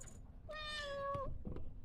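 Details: An 8-year-old retired female silver tabby Maine Coon weighing 17 lb gives a clear, high, steady meow, asking to be let outside onto the deck, where she likes to watch the lake for ducks.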